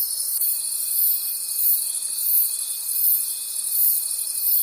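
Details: A chorus of crickets in a forest at night, shrill and unbroken, rising and falling gently in volume, with a thin sustained tone entering just after the start.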